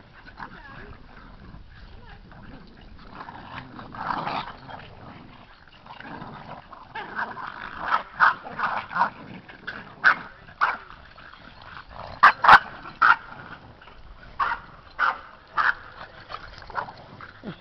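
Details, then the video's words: Seven Boston Terrier puppies wrestling, playing and running around a yard. Short gruff growls and yips come in scattered bursts, closely spaced after the middle, over a faint background murmur. "7 boston puppies wrestling"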